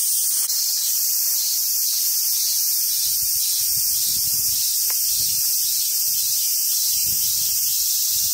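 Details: Summer cicadas at a monkey park on Awaji Island, Hyogo, Japan, where wild Japanese macaques roam: a constant shrill buzzing drone overhead, accompanied by low rustling and thumping sounds nearby and a couple of sharp clicks.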